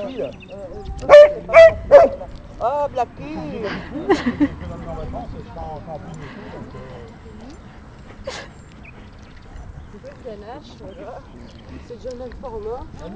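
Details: During a pause after dog training, an old female golden retriever refuses to let Ganache, a bold Bernese Mountain Dog, take her pebble; a burst of three loud barks, then quieter yips and grumbles, with people chatting nearby.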